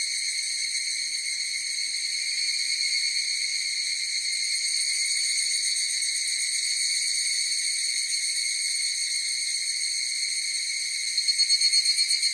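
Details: Higurashi cicadas in chorus: a sustained high ringing drone that swells slightly midway, then breaks near the end into a quick run of distinct repeated pulses.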